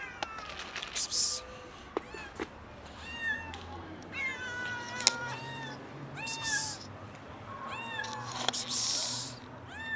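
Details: Hungry kitten approaching while another cat lounges on a car, giving repeated high arched meows, several overlapping and some faint, with short clicks and broadband rustles between calls.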